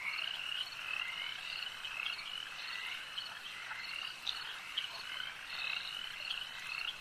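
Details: Lakeside frog chorus: numerous callers produce shrill, trilling croaks that blend into a continuous shimmering wall of sound, with a few louder pulses standing out near the middle.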